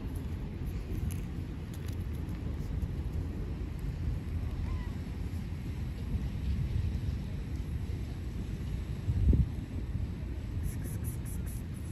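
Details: Outdoor rumble of passing vehicles with faint distant voices and a brief louder thump near the end.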